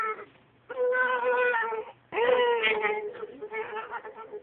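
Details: Long, sustained, howl-like tones from a "talking" dachshund. There are two drawn-out wails, the second starting with a sharp upward scoop, then trailing off into wavering, softer moans. The room is quiet otherwise.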